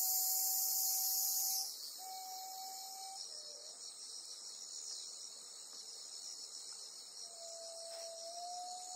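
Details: Black cicada caught by a golden-web spider on Amami Oshima: a loud, harsh, hissing buzz for about a second and a half, then a steady pulsing high insect drone, with thin steady whistle-like tones in the background.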